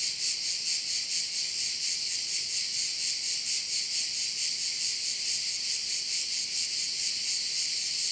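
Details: Crickets sounding over a bay on Korčula, Croatia, their high, grainy trill pulsing steadily about twice each second without pause, the only clear sound present.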